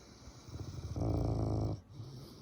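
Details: A grumpy Rottweiler lets out a deep, throaty growl, a rough rumble that rises and holds briefly before dropping away, with softer grumbling snorts before and after it. Finding: Rottweiler.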